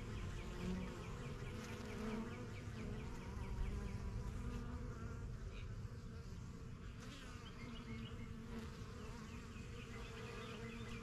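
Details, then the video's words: A busy backyard honey bee colony, first-year hives begun in spring 2023, with bees coming and going from their new box. A continuous deep buzzing hum holds throughout, with light bird twitters scattered high over it. "BUSY BEE HIVE AMBIENCE"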